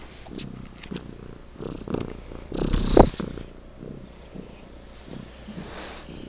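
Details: Pet cat named Legend purring particularly loudly indoors; low rumbling pulses in rough cycles, broken around the middle by a louder brief rustle or snort-like burst.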